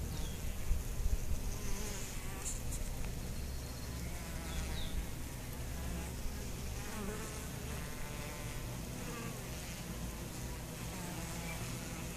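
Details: Dense, even buzzing of honey bees affected by chronic bee paralysis, a low humming mass with a rougher, grainy texture and a few faint distant bird calls.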